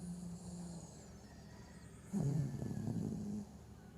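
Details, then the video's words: Snoring Havanese in the middle of a nightmare, one low, drawn-out rasping breath lasting more than a second after a soft steady hum, then fading back to quiet. "Bichón habanero (Roncando)"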